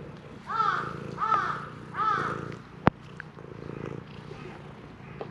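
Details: Shrine stray cat asking forcefully for petting, captured on a GoPro HERO8 Black; three short rising-falling meows in the first two seconds over a soft continuous purr, then a sharp click and quieter purring.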